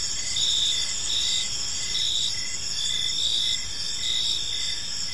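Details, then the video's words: High, steady cricket trills fill an evening park, with brief chirps pulsing about once a second from several overlapping insects over a soft, low ambient rumble. "Park Serenade: Cricket Sounds in a Peaceful Park"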